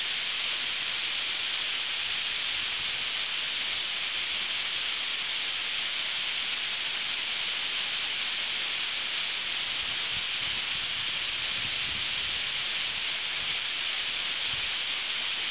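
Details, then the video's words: Thousands of cicadas chorusing together in a North Osaka park, Ryokuchi, during summer; the steady, piercing electric-like hum stays level from start to finish, one continuous texture without breaks. "10000 CICADAS"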